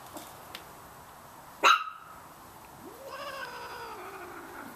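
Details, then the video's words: A Chihuahua puppy barking at a cat in the yard gives a single sharp, high yap, followed by a long, drawn-out rising whine. "Barking Puppies"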